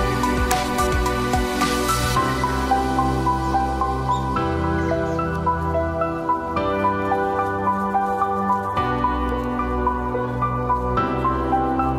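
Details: Calm new-age background music with layered sustained chords and soft plucked notes fills the whole recording.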